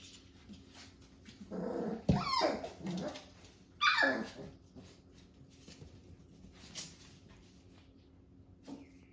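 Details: Playing Jack-A-Bee puppies, Beagle crossed with Jack Russell, aged five weeks, heard indoors during a play date with a cousin dog. Low growly rumbling breaks into two sharp rising squeaky yelps, then quiet shuffling.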